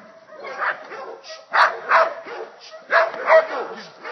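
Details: Belgian Malinois in protection training giving sharp, broadband barks in uneven bursts, some doubled in quick succession, across about four seconds, with a person's voice mixed in.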